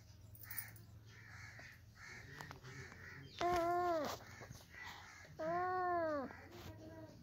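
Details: Cat giving two long drawn-out meows, each falling at the end and lasting under a second, separated by a couple of seconds of quiet room noise with faint soft chirps.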